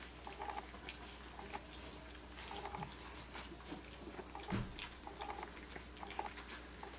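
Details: Young Australian Shepherd pups aged 3 weeks 5 days eating puppy mush for the first time inside; short high squeaks recur every couple of seconds over sticky chewing and lapping, with a low electrical hum beneath.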